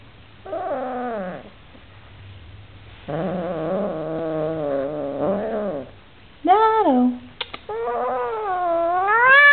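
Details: Oriental Shorthair cat objecting to a new housemate yowls in a run of complaints: a falling wail, a longer wavering cry, then short sharp rising and falling meows ending in an upward-swooping wail.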